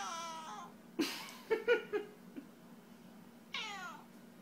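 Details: Cat indoors giving a short falling meow, then a cluster of brief chirps and clicks, and a final bright harmonic meow, over steady low hum.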